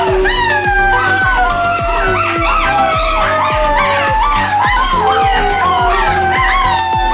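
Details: Several gray wolf pups at Myrtle Beach Safari, howling alongside a chimpanzee, give a chorus of long, sliding, overlapping howls that rise, hold and fall, with a rhythmic music track beating underneath throughout.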